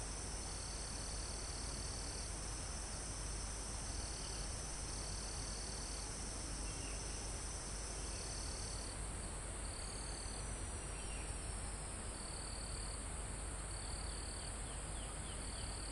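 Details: Live recording from a mountain forest near the summit: crickets give repeated sub-second trills over a continuous high-pitched insect chorus, with a faint descending sweep midway and soft wind moving through the trees underneath.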